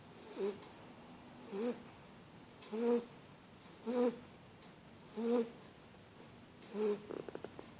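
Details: Shar Pei puppy named Starbucks asleep on a Paul Frank blanket, snoring steadily: six throaty, nasal snores about every 1.2 seconds, each a short rasping burst with a low humming tone, quiet room between breaths.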